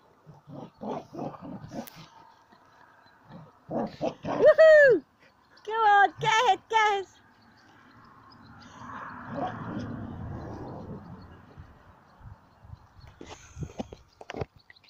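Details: Border Collie Sam, busy playing with a ball, lets out a few loud wavering whines and yelps among softer muttered grumbles, with a stretch of rustling noise and human voices praising him.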